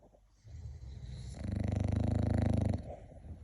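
An English bulldog gives a deep, rattling snore with a fast, rough flutter.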